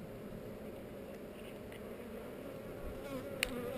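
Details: Honey bees on heather during a hive inspection filmed with a GoPro, the queen among them; a steady, even low hum fills the open hive, with faint handling clicks near the end.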